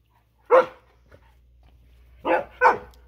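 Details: Siberian Husky shouting at a lawnmower: one loud harsh bark, then a quiet pause and two more barks in quick succession, with a low steady hum beneath.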